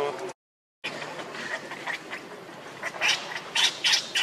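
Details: Hungry baby monkey Leo crying and begging its mother for milk: after a short gap come rough, rising bursts of high squealing cries that grow louder toward the end, over a steady rustling background.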